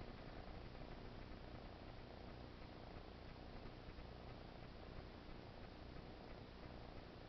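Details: Domestic cat purring indoors, a low, steady, continuous rumble that holds without pause through the whole stretch, with no other clear sounds.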